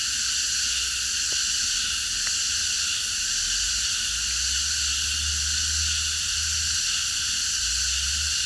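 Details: Night chorus of many cicadas in a park. A continuous shrill, even drone fills the upper range without pause. Two faint clicks and a soft low hum from traffic or machinery sit underneath.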